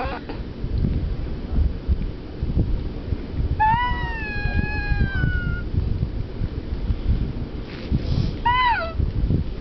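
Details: Romeo, a male French Bulldog, gives a long, high, tonal whine of about two seconds that sags slightly in pitch, then a brief rising-and-falling whimper a few seconds later, over steady low rumbling background noise.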